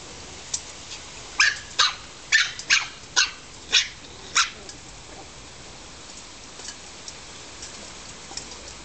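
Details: Australian Terrier puppies playing in a garden in July 2007, aged about seven weeks; a run of seven sharp, high puppy yips in about three seconds, then faint scattered yaps fading into quiet.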